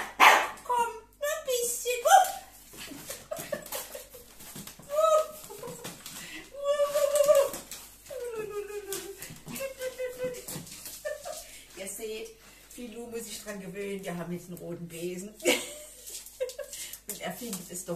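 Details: Filou, a Miniature Pinscher upset by a new broom, gives repeated yowling whines of changing pitch, some long and wavering, in between a person's speech.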